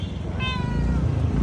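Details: Cat giving one drawn-out, slightly falling meow over a loud low rumble, possibly of traffic or an engine.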